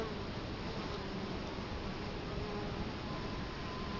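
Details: Italian honey bees at the hive entrance in Colorado Springs, October 2011, with the camera right in front of the hive. Many bees blend into a dense, steady hum with faint low droning tones throughout.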